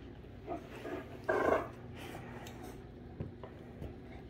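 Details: Rhapsody and The Heartbreaker, two Great Danes, roughhousing inside a room; a brief throaty growl flares up amid quieter grumbles and shuffling.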